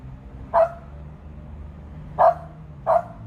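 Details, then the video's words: Pet dog, a female, barking up at a large bird sitting high in a tree: three short, punchy barks, the last two close together, over a low steady outdoor hum. "Dog talks to birds"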